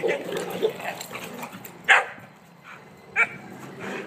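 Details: Emma, five months old, romps with Bugsy and Kuna at a new fence; grumbling growls open, then two loud clipped barks ring out over a second apart.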